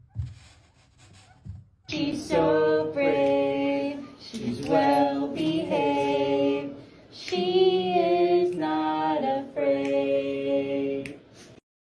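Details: Female voices sing a cappella in sustained, harmonised phrases after a quiet opening, with short pauses between lines and no animal sounds.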